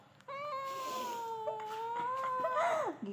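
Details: A cat gives a sustained, drawn-out meow lasting nearly three seconds. It is lower and wavering, and breaks into a rising squeak near the end. Faint background music plays indoors.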